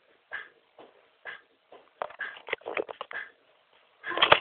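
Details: Lara, an American Staffordshire Terrier, gives spaced, short, nasal whining yelps indoors, then a quicker cluster of throaty grumbles ending in a louder, harsh outburst.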